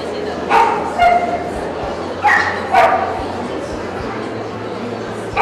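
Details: American Staffordshire Terrier at a 2015 dog meet-up in Kyiv, giving sharp barks, some single and some in quick pairs, spread over a few seconds above steady crowd chatter and background murmur.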